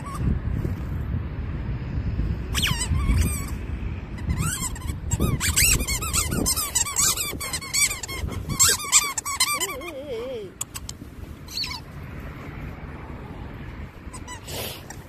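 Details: Labradoodle named Meritan, digging a hole in sand with excitement at its peak, having eaten plenty of sand: bursts of high, squeaky whines and yelps, a rapid run of them midway, then a wavering, falling whine, over low scuffing noise.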